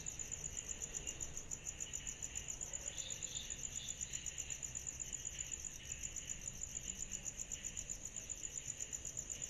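A steady, high-pitched insect trill pulses continuously on a summer night, with a fainter rasping chorus beneath.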